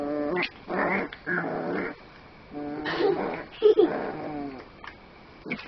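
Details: Miniature Pinscher puppy Boo Boo, a 9-week-old male, indoors protesting as his harness is pulled off over his head: harmonic whining cries alternating with rough snarling growls in bursts, a person speaking softly in between.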